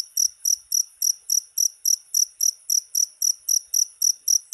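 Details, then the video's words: Shrill cricket chirps, presented as a rat repellent, pulse steadily at about three and a half per second, each burst short and very high, with near-silence around them. "SUARA JANGKRIK PENGUSIR TIKUS"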